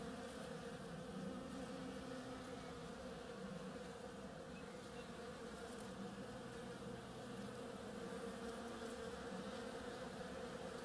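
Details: A continuous drone of bees hard at work on a flowering oriental creeper, a layered humming buzz holding level for the whole stretch, with occasional brief lower hums passing through.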